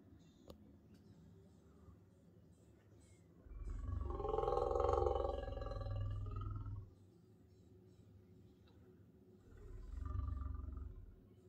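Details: A big male lion outside a camp kitchen window in Southern Africa, early morning, gives two long, low growling rumbles, the first swelling about three seconds, the second shorter, warning people away while guarding a nearby lioness.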